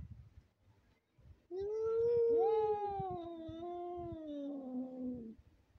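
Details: A lost white cat in the street gives one long drawn-out meow lasting about four seconds, starting higher, wavering, then sliding lower toward the end, with faint low thumps and shuffling before it.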